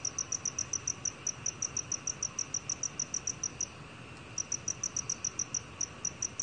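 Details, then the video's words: Black cricket chirping in a 2020 National Institute of Biological Resources recording: a run of clipped, high-pitched pulses at a brisk, even rate, broken by a gap of about half a second midway, then resuming at the same pace, with soft hiss behind. "검은귀뚜라미, 여러번 듣기, 곤충소리"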